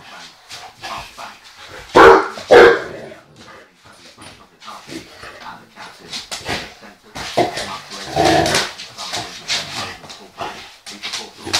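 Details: A dog of about one year, vocal in dislike of being swept near with a broom: a couple of loud barks early, then whiny grumbling vocalizations and more barking mixed with a person speaking.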